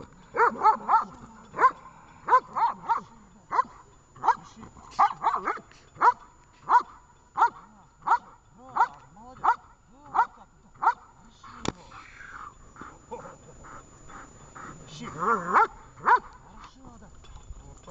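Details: Vesta, a dog in Gorlovka, at a training session on 20 July 2019, barks in a steady run of sharp, loud barks roughly every second, with a few overlapping yelps near the end and a person's voice in the background.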